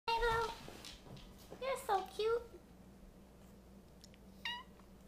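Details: Pet cat answering after being told he is cute: a short low chirping meow, then a few wavering, rising-falling mews with a person's voice mixed in, ending with one brief high meow indoors.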